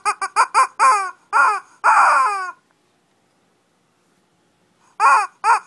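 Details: Shih Tzu squabbling in a small fight in Kochi, Japan: quick high yips followed by longer whiny, falling yelps, then about two seconds of silence and two more yelps.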